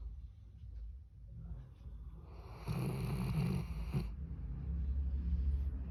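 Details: A Labrador Retriever, just after sleeping, lets out a single sustained, nasal, tonal groan-like call lasting about a second and a half, over a low rumbling hum.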